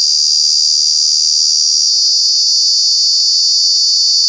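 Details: Continuous shrill cicada drone from Kanha National Park, a summer-month noise maker; one dense, even, high buzzing band with no breaks and no other clear sounds.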